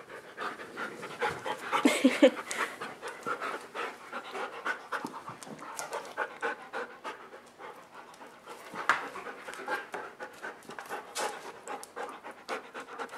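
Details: Indoors on a rainy day, dogs play on a dog bed while waiting out the rain; rapid, irregular panting runs about two and a half breaths per second, with a brief louder whine-like burst near the start.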